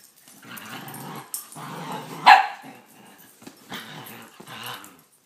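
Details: Two Italian greyhound dogs at play on a bed indoors, giving low rumbling growls broken by one sharp bark in the middle, with rustling of bedding and a person urging one dog on.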